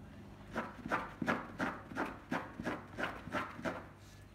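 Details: A pet dog, dreaming while asleep, gives a run of soft, muffled yips in short, evenly spaced bursts, about three each second, with faint thumps between them and no other clear sounds.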